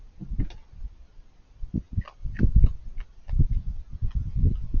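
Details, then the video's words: Raccoon chewing noisily, giving close crunches and wet smacking clicks in quick irregular clusters separated by brief quiet gaps. "Raccoons Eating & Being Cute - Cute Lil Crunchy Noises While It Eats"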